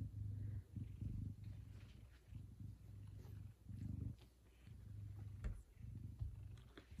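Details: A big male F2 Savannah cat purrs steadily in the morning, a deep low rumble pulsing in and out with each breath, happily awaiting leftover chicken, with geese calling in the background.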